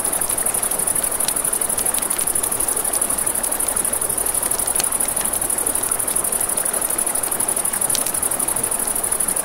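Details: A constant high trill of crickets fills a riverside night, evenly pulsing without pause, layered over the wash of the river and scattered crisp pops of burning wood.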